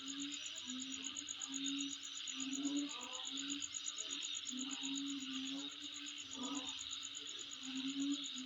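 A steady, shrill insect chorus with a fast, even pulsing trill high above it.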